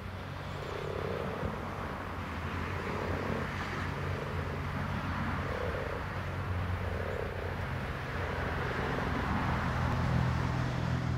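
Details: Common frogs giving soft, low purring croaks in short rounded bursts, repeating roughly every second or so through the recording, over a steady low rumble of distant traffic-like hum.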